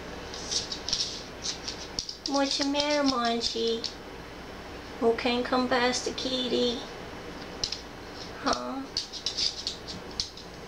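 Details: A laid-back female rescue cat meowing in the background of a home shared with a dog and another cat: several drawn-out, harmonic meows that rise at the start and level off, with scattered clicks and rustles around them.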